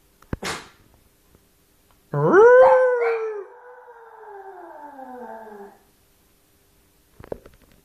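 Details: Little Maltese puppy on its own, giving a single rising whine that swells, wavers and then trails downward over about three seconds, with faint clicks and a short noise before and after.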